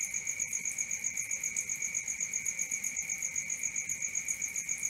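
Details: Crickets calling at night, an unbroken rhythm of rapid, regular high-pitched pulses, roughly four per second, with a faint metallic upper ringing.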